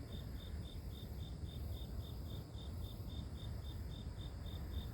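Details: Grass insects in nature, offered as sleep-inducing white noise: steady, high, thin chirps pulsing evenly about four times a second over a loud, constant low rumble and faint high hiss.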